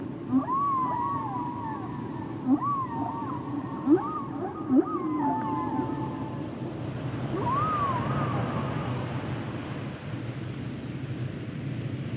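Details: Humpback whale song: a high, warbling cry that rises and dips repeatedly, paired with short low upsweeps that come every second or two, then a final quavering cry, over a soft low ocean hum.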